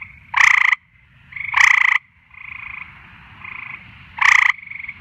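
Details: Nighttime frog chorus: three loud rasping croaks in five seconds, each a short harsh burst, separated by quieter buzzing trills from other callers, over a low background hum.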